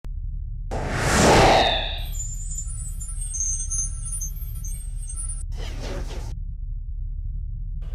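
A whoosh sweeps past into a bright, twinkling musical chime over a steady low rumble, with no animal voice.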